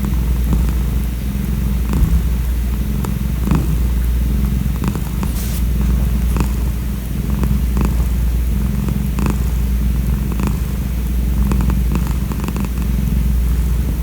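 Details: A neighbourhood calico cat looked after outdoors for five years gives a long, unbroken low rumbling purr that stays even in loudness, with occasional soft ticking and rustling noises over it.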